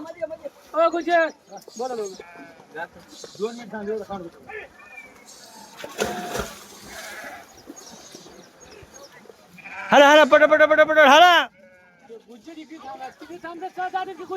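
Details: Sheep bleating while herders make them swim, in Maharashtra, India: repeated wavering, quavering bleats from several animals, one long loud bleat near the end, mixed with men's shouted Marathi instructions and splashing noise.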